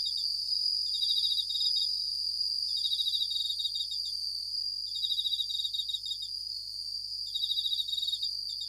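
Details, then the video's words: Japanese bell crickets at night give clustered high, tinkling pulsed bursts, some close together and others spaced by pauses, above a continuous thin high-pitched hum. "Japanese Bell Crickets at Night"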